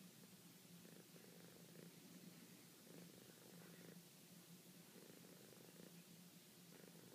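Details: Domestic cat purring softly and sweetly, continuous low throbbing rumble rising and falling with each breath roughly once a second, evenly paced and unbroken across the recording, faint background hiss.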